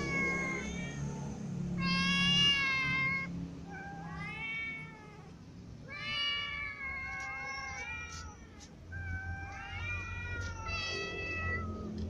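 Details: After a new white cat clawed it, a ginger cat eats lying down; a series of harmonic meows and drawn wails, some falling in pitch, separated by short gaps, low room hum beneath.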